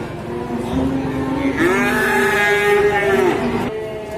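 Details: Large cow with a hurt leg moos in a long, rising then level bellow lasting about two seconds, rich in harmonics, with a softer lead-in; background farm noise.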